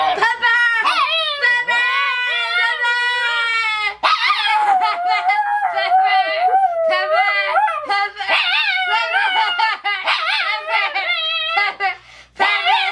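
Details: A pet dog reacting to being called a name she hates, answering with long wavering howl-like moans that rise and fall almost like talking, nearly continuous for thirteen seconds with brief pauses, people's voices mixed in.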